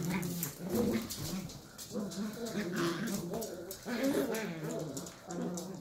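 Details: A pair of sheltie puppies, 11 weeks old, wrestling roughly indoors: almost continuous throaty growls and grumbling snarls, wavering in pitch, with brief whiny rises, plus scratching and bumping of play.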